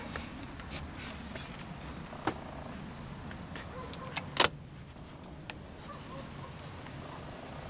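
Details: Low rumbling background noise with scattered clicks and a sharp rattling burst midway; no animal voice stands out.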